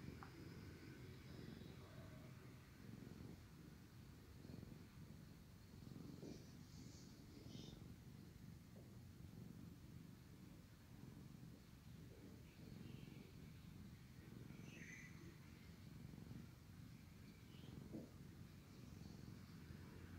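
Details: Sleepy domestic cat purring loudly while his brother licks and cleans him; steady low rumbling purr throughout, pulsing in slow breath-paced swells, with faint soft licking and rustling sounds above.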